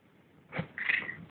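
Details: A talkative pet cat named Gussy, asking to be brushed, gives a short meow lasting about half a second that rises then holds steady, right after a person says "Kitty" indoors.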